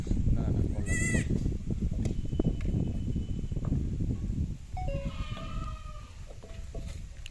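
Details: Farm-kept goat bleats once, a brief wavering, vibrato cry near the start, while people talk nearby about mixing feed; a few fainter animal sounds follow against constant background chatter.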